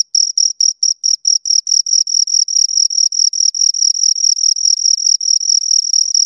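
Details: Two crickets, opening with separate sharp chirps about three a second that speed up and fuse into an almost unbroken high-pitched trill.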